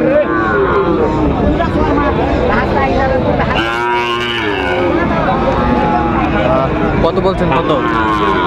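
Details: A Sahiwal bull calf at Raniganj market in Dinajpur, 29 August 2024, bellows one strong, rich, harmonic moo about halfway through. Other cattle low faintly around it amid dense crowd talk.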